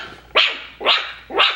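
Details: Five-week-old Coton de Tulear puppies from a breeder's litter give three short, high-pitched yapping barks, evenly spaced about half a second apart, in a quiet indoor setting.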